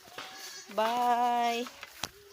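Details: Goat, one of a herd being taken out to graze at midday, hungry and excited, gives a single loud, wavering, nasal bleat lasting about a second. A brief fainter call follows near the end, with light clicks and rustling around it.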